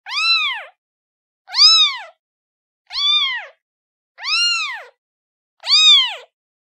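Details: Young cat crying out to its mother: five strong, bright, arched meows repeated roughly every one and a half seconds, each rising and falling in pitch, in otherwise silent surroundings.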